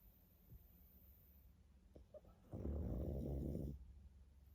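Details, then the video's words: Sleeping pug: soft breaths and faint clicks, then a single rough, rattling snore of about a second before quieting again. "Мопс и сон😴Храп"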